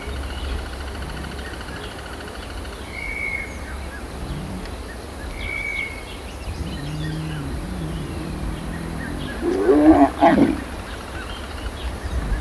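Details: Lion during a mating ritual, heard up close: a short, loud, rough growling burst near the tenth second, preceded by low rumbling sounds, with thin whistled bird calls and a steady hiss of background noise.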